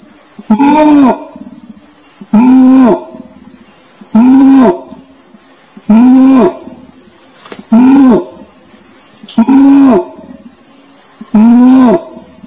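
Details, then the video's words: Seven evenly spaced, low, booming harmonic moans, spaced about 1.6 seconds apart and even in pitch, make up this orangutan sequence. A constant high insect-like whine sounds throughout. "SUARA ORANG UTAN"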